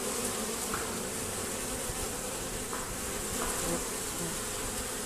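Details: Robbing honey bees at a hive entrance with a screen fitted. A thick, droning swarm buzz with a rough low layer and short brighter flares as bees pass close.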